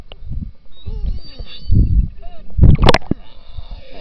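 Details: Underwater in the Churchill River near Hudson Bay, Manitoba, summer beluga whales give short sliding whistles and a burst of clicky chirps amid heavy low-pitched water rumble.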